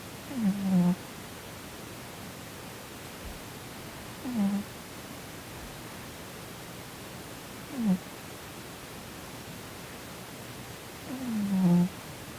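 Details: Sonny, a chubby male Korean shorthair, asleep and twitching, perhaps dreaming badly; four brief low snores, each a short downward-sliding grunt, spaced roughly three to four seconds apart in a quiet indoor space.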